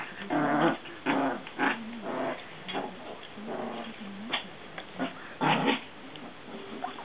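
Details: Maltese dogs from a mother-and-daughters family, three sisters playing together with a frog, growling in short rough bursts about once a second, rising and falling in strength, with a few yips between.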